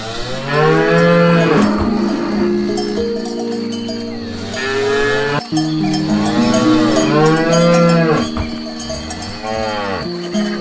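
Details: Cows grazing on grass, giving long deep moos with rich stacked harmonics, one call early and another mid-way, over steady ringing cowbells and soft background rustle.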